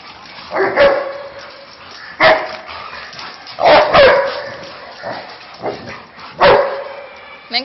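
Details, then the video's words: Labrador Retrievers at play, two dogs together; single sharp barks spaced about one to two seconds apart, a quick double bark near the middle, with a person's voice faintly in the background. "Dog barking Labrador"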